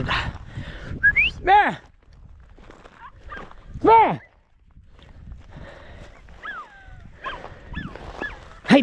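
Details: Podenco hunting dogs chasing rabbit in the field give sharp, falling, harmonic yelps at several points, some high and whining, while a man talks and calls encouragement between the cries.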